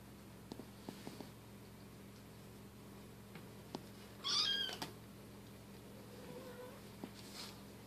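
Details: Bengal cats at play, silver kitten Keylala with sister Luna and mother Xia; one cat gives a single brief, high, wavering meow midway, set among soft taps, scuffles and clicks of the family's play.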